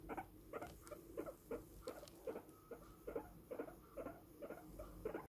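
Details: Guinea pig boar during grooming care calls in uneven short pulses, each with a brief tonal squeak at its core, spaced roughly half a second apart over a low hum.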